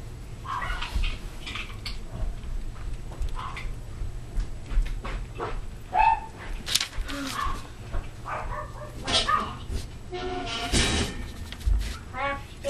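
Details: Toy poodle puppies at play, recorded 4/11/08: short high yips and whimpering whines come in scattered bursts, mixed with people talking nearby and some rustling and thumps of play.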